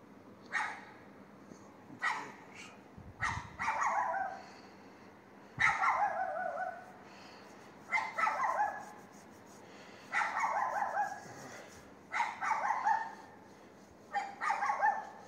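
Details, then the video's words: Dog next door barking at 22:30 on 18 May 2021 along a street in Castelldefels; about eight harsh, separate barks, singles and short doubled bursts, coming roughly every two seconds against a low steady hum. "perro vecino ladrando a las 22:30"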